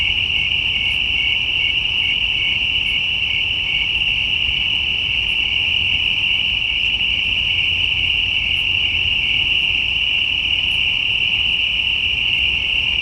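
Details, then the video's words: Crickets at night giving an unbroken, steady high-pitched trill that holds at one pitch throughout, with faint low rumble beneath. "Night Crickets, Night Ambience, Night Crickets sound effect"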